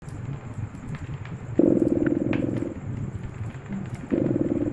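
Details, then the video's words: A cat purring beside a cozy fireplace: a rough, pulsing rumble that swells into louder bursts about a second long, with quieter stretches between, over soft crackling of fire. "Purring Cat"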